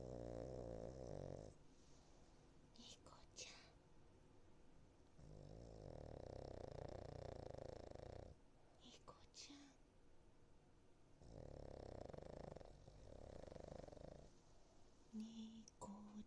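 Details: Niko, a Cavalier King Charles Spaniel in foster care, snoring while asleep: broad, rasping, low breaths lasting two to three seconds, returning about every five seconds, with faint whispers in the quieter gaps.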